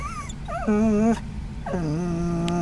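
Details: A Scottish Terrier riding in a van barks at dogs and cats it sees outside, giving two long, tonal, whiny barks that slide down and level off, over a faint background hum.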